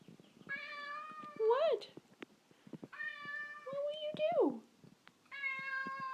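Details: Indoor pet cat asking to be let outside, giving three long, drawn-out harmonic meows about a second apart. Each meow holds a steady pitch, then bends upward and falls at the end. A person talks softly to it in a small room.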